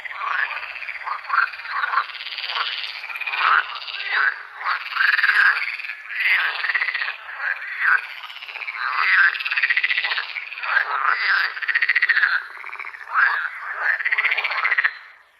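Frogs calling in a dense, continuous chorus of rough, pulsing croaks.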